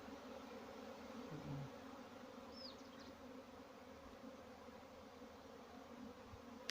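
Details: A steady hum from honey bees on a Pakistani bee farm, a dense even drone that barely wavers, with a couple of quick high bird chirps partway through.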